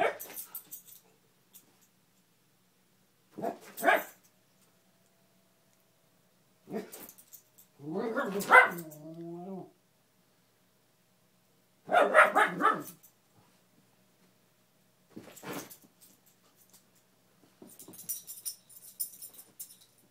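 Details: Beagle Gia keeps barking indoors at a fallen Spider-Man lamp while a rat terrier guards it. Six bursts of sharp barks roughly every three seconds, one a longer harmonic yelping whine, with faint jangling near the end.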